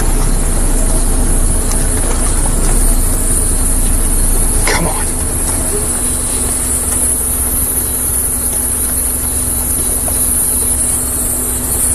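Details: Steady engine rumble from a safari vehicle on a sunset game drive in the South African Lowveld, with a constant high hiss and a brief faint voice near the middle; no animal sound stands out.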